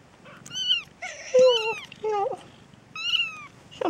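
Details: Peterbald kittens, born October 2013, from a litter of four F1 young with a Peterbald mother and an Oriental Shorthair father, giving high, thin mews: five short bent-down cries in quick, uneven succession, indoors with quiet background.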